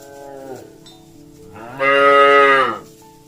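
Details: Cattle walking through mud and calling companions to return to the barn: a soft low lead-in, then a loud, steady, harmonic-rich moo of about one second that fades out, with a faint bell-like tone.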